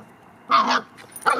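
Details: Two short, bright barks or yips, each under half a second, separated by a brief pause, as Duncan the Labrador Retriever tries to get Bogie the reluctant Cavalier to play; quiet background between the calls.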